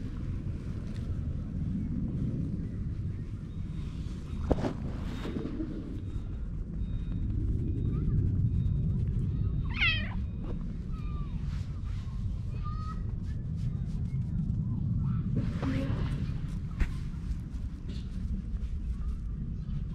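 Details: Cat in a park, purring as it meows, recorded on a GoPro HERO8; one clear rising-and-falling meow near the middle stands out, with fainter chirps after it, above constant low outdoor rumble.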